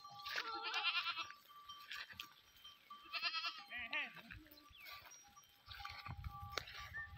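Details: Goats on a farm in the Tharparkar desert area of Thar, herded with sheep: several harmonic, wavering bleats in short bursts from different animals, over clanking bells and some human voices.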